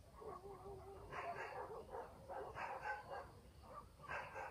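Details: Village dogs bark at night in the countryside, a distant chorus of short, sharp barks coming in bursts of two or three, one voice answering another, with a faint steady high-pitched drone behind them.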